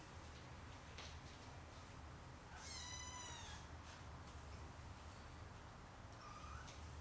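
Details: Siamese cat family, four kittens playing beside their mother on a Saturday afternoon: one clear, drawn-out meow with rich overtones lasting about half a second, then a softer, shorter rising mew, over a steady low background hum.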